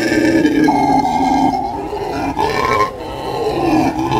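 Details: Howler monkeys giving a harsh, throaty howl, a sustained roaring rumble with a rising tone near the start and a short break just before three seconds.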